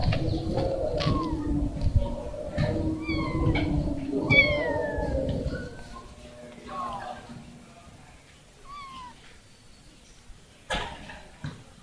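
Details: Kitten that lost her family giving soft, short falling mews scattered through the recording, fainter later, over a steady low hum and some rustling.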